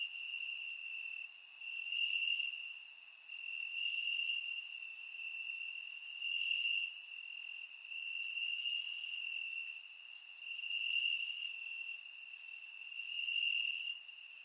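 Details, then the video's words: Crickets in grass on a warm Bulgarian summer night, recorded in surround sound: a constant high trill that gently pulses louder and softer every couple of seconds, overlaid by many faint, very high insect ticks. "Cricket Sounds - Crickets Chirping at Night"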